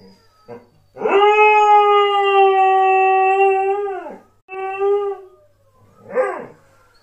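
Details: A Border Collie in Ireland gives a long, steady howl, then a shorter one and a brief yip.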